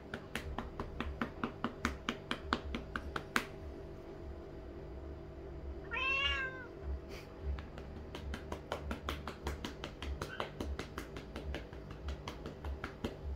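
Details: A male Lynx point Siamese cat gives one loud, drawn-out, rising-and-falling meow amid sharp rhythmic patting sounds; he meows loudly when the patting on his rear stops.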